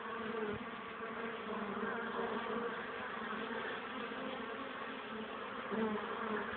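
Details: Honey bees bringing pollen to the hive in cold wind at 12 degrees, 1 pm, 21 April 2013, some resting on grass from fatigue; an even, unbroken buzzing hum with a steady low drone throughout.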